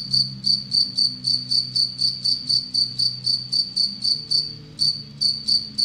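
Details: High, metallic pulsed stridulation from an Anadrymadusa retowskii bush-cricket held in captivity with an Egyptian locust as prey; about 22 evenly repeated pulses with a short break before the final few, over faint low humming.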